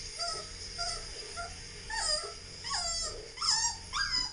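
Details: Whining Siberian Husky puppy, with Labradors Maddie and Roxie reacting, 18.04.13: soft short whimpers at first, then louder, sharply rising yelping whines near the end.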